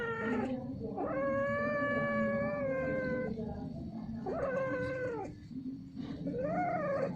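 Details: Caterwauling of a domestic cat during mating, which is repeated and prolonged: three long, strongly harmonic yowls, the first held about two seconds, then shorter rising-and-falling wails, over a low constant hum.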